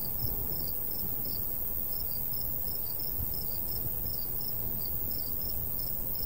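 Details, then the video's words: Two crickets chirping in a summer wheat field in the countryside: high, short pulses from one caller interleave with a slightly lower second series, over a constant low breeze rumble. "Countryside/cricket sounds"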